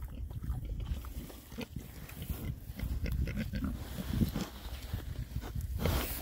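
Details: Oxford Sandy and Black pigs, a rare breed, six males foraging in winter between storms; low rumbling grunts and snorts over steady rustling and chewing noise, with brief sharper clicks.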